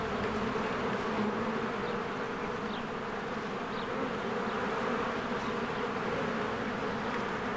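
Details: Busy honeybees at their hive in spring, flowers in bloom; a constant droning buzz of the swarm with several short, high bird chirps sprinkled through the middle.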